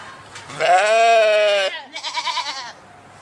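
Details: Sheep bleating: one long, steady, strongly harmonic bleat of about a second, followed by a shorter, quieter, wavering bleat that trembles in pitch before fading.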